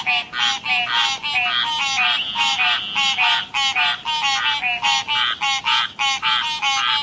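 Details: Croaking of frogs from a river setting, a run of bright, twangy, harmonic notes in tight groups, coming about every half second and overlapping at times.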